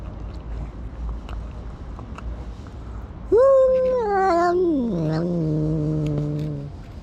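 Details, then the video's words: Domestic cat making a strange, weird vocalisation: after three seconds of quiet, one long drawn-out wail that starts high, wavers, then slides lower into a flat drone lasting about three seconds. "This Cat Makes a Weird Sound"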